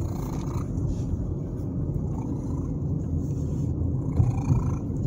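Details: Domestic cat, a male named Herbert, purring contentedly during a car ride; a steady, dense low rumble runs through the clip under engine and road noise, with a few faint brief higher tones.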